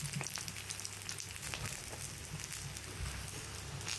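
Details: Punte the goldendoodle eating steak and eggs for dinner, picked up with a Blue Yeti microphone: dense, wet crackling chews and sharp scattered clicks over a low, steady hum.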